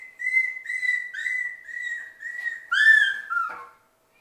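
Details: A litter of six-week-old Sheltie puppies playing indoors in their play room: a run of steady, high-pitched whines in quick succession, rising into a louder, strained squeal that falls away before quiet.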